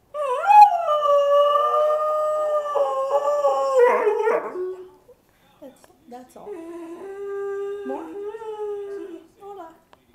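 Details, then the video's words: Howling male dog: one long, steady, high howl held about four seconds with a slight waver, breaking into short choppy cries, then after a pause a lower, softer sustained howl with small dips. "Dog howls"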